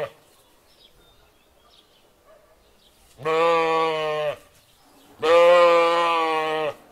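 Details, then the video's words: Lamb with two drawn-out bleats about two seconds apart, each over a second long with a rich, steady harmonic tone, following a few quiet seconds. "Sheep lamb voice sound"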